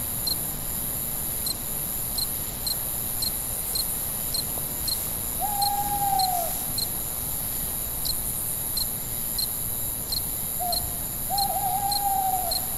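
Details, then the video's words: Crickets chirping at night, steady high pulses about every half second over a shrill drone, while two drawn-out, mid-pitched hoots from an owl sound in the background. "Night Ambient Sounds, Cricket, Sounds at Night"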